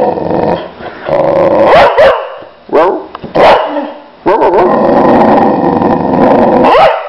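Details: Boxer dog vocalizing loudly in bursts of harmonic, wavering 'au au' howl-like calls with short barks, amid a person's voice repeating 'wow'.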